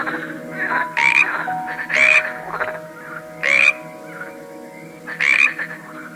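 A frog gives loud, raspy croaks about every one to two seconds.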